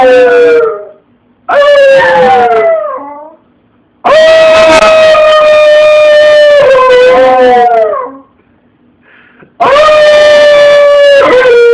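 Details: A dog howling, recorded on an Android phone: four long, loud, tonal howls, the first two short and falling, the later ones sustained and level for several seconds before dropping at the end, separated by brief gaps.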